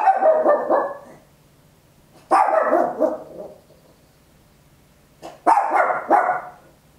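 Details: Papillon, a tiny dog, barking very loud at home, stereo recording on an Olympus LS-11: three bursts of rapid, sharp barks, each a quick double or triple, separated by pauses of about two seconds over a faint low hum.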